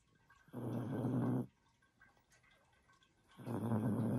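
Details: Sleeping female Chihuahua snoring indoors: two long, rough, low breaths about two seconds apart, each lasting roughly a second, with quiet room tone between them.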